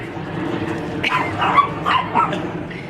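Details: Brown Chihuahua yapping at a white dog fetching a squeaky toy during play at home: four quick, bright yips about every 0.4 seconds over a steady background hum.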